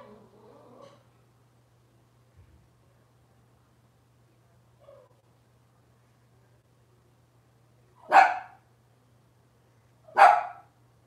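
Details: Robin's Cavalier King Charles Spaniel puppies on an indoor kitchen camera: soft faint whimpers at first, then a long quiet stretch, then two sharp, loud single barks about two seconds apart, over a constant low hum.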